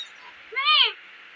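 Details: Hungry kitten, one of Granny's little ones, crying for food: a single short, arched meow that rises then falls, with Tamil conversation just before and after.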